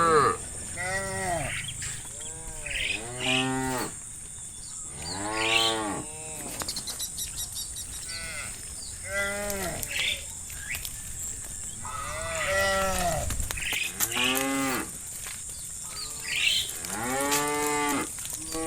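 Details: Several cattle roaming open fields in late afternoon, mooing to call friends back to the barn: drawn-out arched moos about every two to three seconds, some ending in higher cries, over a constant high-pitched hiss.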